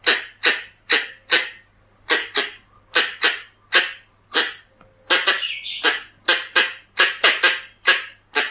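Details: Red-bellied squirrel calls used as a decoy sound: a rapid, insistent volley of about twenty-eight harsh chucks in eight seconds. They come in bursts of two to four, with a brief rising squeal midway, over a constant low hum.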